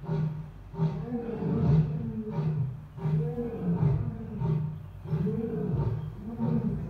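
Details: Asiatic lion in captivity at Dublin Zoo producing a series of deep, rhythmic grunts, about one and a half per second, loud and throaty, forming a continuous roaring sequence in a slightly reverberant space.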